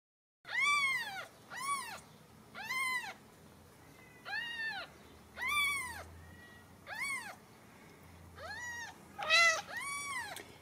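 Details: Ragdoll kittens raised in the home at a cattery in central Kansas, mewing in a run of high, arched cries, about eight calls spaced irregularly over ten seconds, with faint background music.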